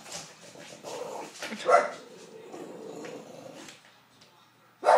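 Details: A female English Bulldog gives short, gruff barks and growly grumbles, upset by a hair dryer, with another dog also getting upset.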